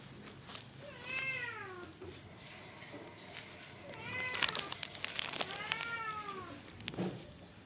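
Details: White and brown Persian cat meowing indoors: several drawn-out, arched meows with rich harmonics, around 1, 4 and 6 seconds, with clicking and rustling noises between them.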